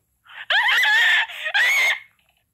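Two piercing, raspy screams from a rabbit, each lasting about half a second to a second, the second one rising slightly. It is the rabbit's distress scream, given when it is close to death.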